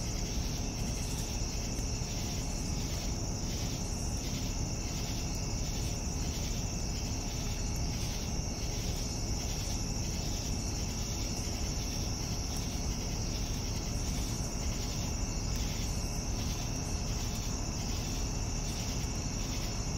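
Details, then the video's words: Evening crickets: a steady, shrill high trill runs throughout, overlaid by lower pulsed chirps repeating about twice a second, all above a constant low rumbling background noise. "Evening Cricket Sounds"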